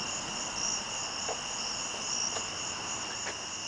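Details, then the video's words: Crickets chirping after dark outdoors, a steady high continuous trill layered in bands, with faint soft knocks from nearby work. "okay it's got dark on us again and the Crickets are back as you can hear we're going to try something different a little bit different we're going to recreate this"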